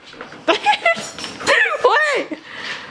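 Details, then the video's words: Alaskan Malamute talking back when told to roll over: brief yelps swell into a drawn-out, wavering woo-woo with bending pitch, right after a person repeats a spoken command. "Malamute Talks Back When Told to Roll Over"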